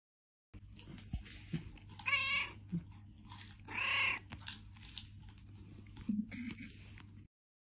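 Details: Domestic cat giving two drawn-out, harmonic meows, the first near two seconds and a louder, longer one near four seconds, followed by a shorter whine near the end, over a steady low hum and scattered clicks.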